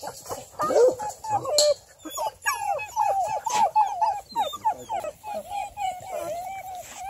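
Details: River Styx Indigo, a house-raised female Bluetick Coonhound aged ten months and UKC registered, whimpering in a steady stream of high, quavering whines with short yelping breaks throughout.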